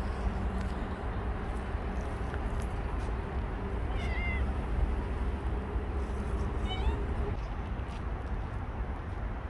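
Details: Bolt, a stray cat that stayed around for a year and five months, gives two short meows about three seconds apart, the first rising then falling, over a steady low background rumble.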